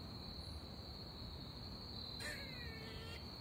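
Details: An American squirrel on a tree gives a brief, whiny, drawn-out call like a baby crying, over a steady high insect drone; the owner wonders if it is signalling.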